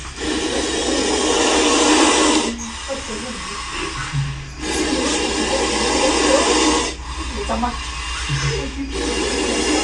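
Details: Indian cobra in a bathroom, acting aggressively and trying to attack, exhales loud rushing hisses of about two seconds each, repeated with short pauses, against faint background music.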